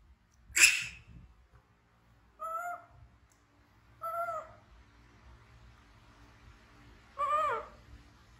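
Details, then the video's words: Frightened orphan baby monkey running to be held: one sharp, piercing shriek, then three separate whiny, tonal cries about two seconds apart, the last one shakier and longer. "Baby Monkey BEAN Frighten Screaming"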